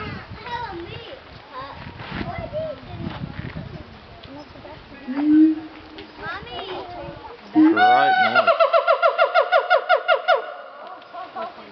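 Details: Siamang apes at Dubbo Zoo screaming at visitors they did not want around; people talking and laughing at first, then loud rapid pulsed whoops repeated several times a second in the second half.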